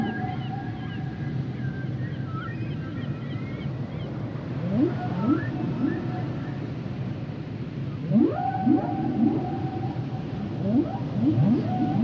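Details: Humpback whales singing: long level whistled tones and short high chirps give way to clusters of rapid upsweeping moans, several in a row, over a constant low ocean rumble.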